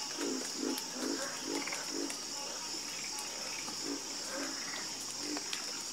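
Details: Frogs croaking at night, a quick series of low knocking calls about twice per second, pausing briefly before resuming, set against a continuous high-pitched insect buzz.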